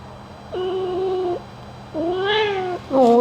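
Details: Domestic cat kitten meowing during a gentle ear-cleaning grooming session: three clear, tonal meows, the first level and drawn out, the second arching up and down, the last short and rising, with soft hum beneath.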